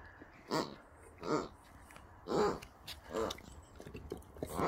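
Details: Rex and Sammie, Boxers, tussling over new toys received as a birthday present; four throaty, rumbling growls about a second apart, each swelling and fading, with light chewing noises.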